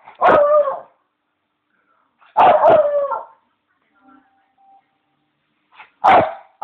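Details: Bichon named Leo, a pet who loves his bones and voices it, giving three loud wailing bark-howls with a falling tone, the first two close together, separated by near silence.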